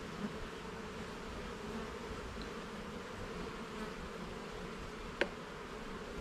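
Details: Garden beehive opened for inspection of its levels and frames, the honey bees giving a constant low buzzing drone; one brief sharp tap near the end, no voices.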